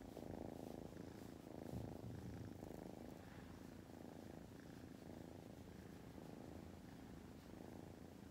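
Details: A sleepy female tortoiseshell kitten, born August 2020, purrs steadily, a low rumbling throb pulsing several times a second.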